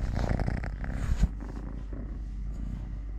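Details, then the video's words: Totoshka, a domestic cat who lost a leg at birth, purrs in a continuous low rumble, louder and rougher in the first second with a brief bump near the middle, then softer and even. "10 MINUTES of LITTLE GREMLIN PURR PURR | Having Food, Playing, Walking, Fighting with hand, purring"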